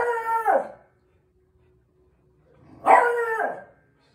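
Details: A beagle puppy, playing with its "dad", gives two short, tuneful yowls that bend downward at the end, with a pause between.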